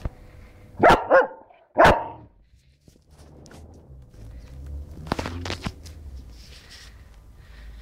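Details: Black German Shepherd Dog barking: three loud, deep barks in quick succession near the start, a quiet pause, then a second burst of two or three sharper barks, with low room rumble between.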